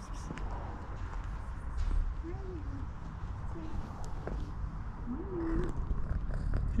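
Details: Kitten with a pink nose purring loudly up close, its brother alongside; continuous deep rumble with two short, soft rising-falling mews, light handling rustles and a brief human voice.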